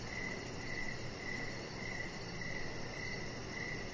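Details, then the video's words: Crickets chirping outdoors on a deck in the evening: short high-pitched pulses repeat roughly twice a second over a steady low background hiss. "3 Hours Of Chihuahua Puppy Laying On Deck with Cricket Sounds"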